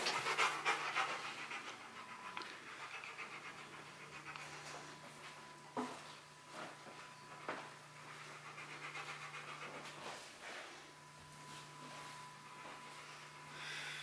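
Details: Panting from Bruno the Rottweiler as he solves a box maze to reach a prize; loud breathy bursts open the passage, then the quick pants thin out into softer, scattered breaths over a steady background tone.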